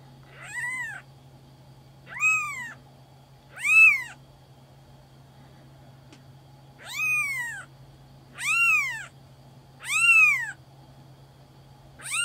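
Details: Black-and-white Maine Coon kitten at a Tokyo cattery meowing repeatedly: about seven short, bright, arching mews, each rising then falling, spaced one to two seconds apart, over a low constant electrical hum.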